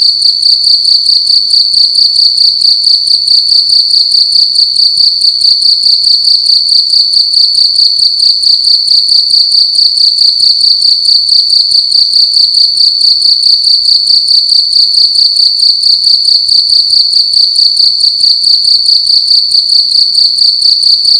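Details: Cricket making loud noise indoors at night, sustained over twenty seconds: a constant shrill ringing trill pulsing in rapid even chirps, about two to three each second, with no pauses or background sounds.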